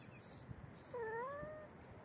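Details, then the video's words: A pregnant Persian cat, about four hours before giving birth, gives a single drawn-out, wavering meow that rises slightly and then sinks. "The cat 4 hours before birth makes a sound"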